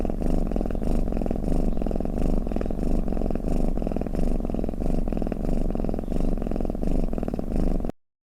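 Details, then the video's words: Pet cat's snoring purr, played to lull listening cats; continuous low throaty rumble with a fine flutter, swelling with each breath at a steady pace for about eight seconds, then abrupt silence. "เสียงแมวกรน เปิดให้แมวฟังเคลิ้มๆไปเลยค่ะ | Snoring Cat"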